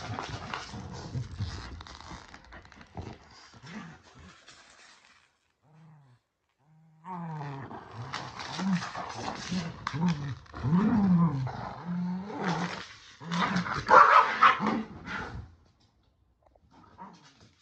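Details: Tug of war over a shark toy between Kumo the Keeshond and Sully the Boston Terrier, with throaty play growls in irregular rising-falling bursts, a short silent gap, then louder snarling and rough scuffling.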